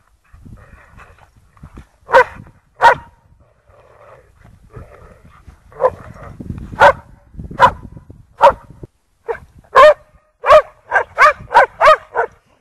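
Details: Lurchers Egg and Toby and Buttons romping in snow at Priory marina, Bedford: low rumbling scuffles under spaced barks, which speed up into a fast, evenly repeated run of yapping barks at the close.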